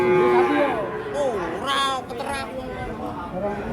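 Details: Raging cattle coming down off a truck give wavering, bending moos that rise and fall. A steady musical tone sits beneath, with people talking and music around them.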